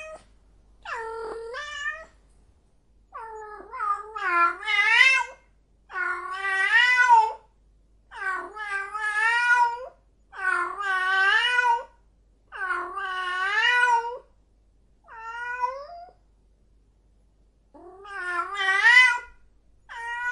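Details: Cat in heat caterwauling insistently: a run of loud, harsh, warbling yowls about a second long each, repeated roughly every one to two seconds with brief pauses, in otherwise quiet surroundings.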